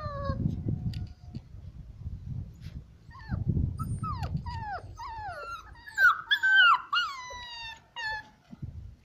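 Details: A Bucovina Shepherd Dog gives a run of high, sliding whines and yelps that fall in pitch, growing denser and louder toward the middle, over a low rumbling background with a man singing folk-style lines before.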